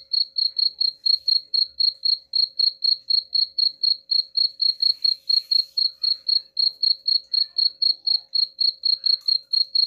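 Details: Cricket chirping intended to scare rats away, a long, even series of bright, high chirps at about four per second, with a faint steady hum in the background.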